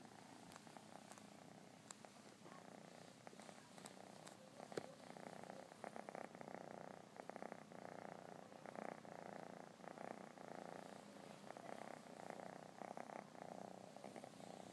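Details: Domestic cat purring in a quiet, close recording: a soft continuous rumbling purr with rhythmic in-and-out pulses and a few faint clicks.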